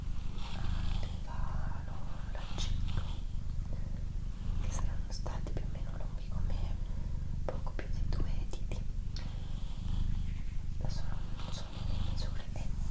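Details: Female pet cat Doroti purring indoors, the deep rumble swelling and easing in regular cycles of roughly a second or so, with soft human whispering and light handling noises on top.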